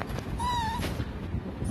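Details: A 45-day-old puppy humming indoors: one thin, steady, high whine of under half a second that dips slightly at the end, with low household rumble and a faint knock behind it.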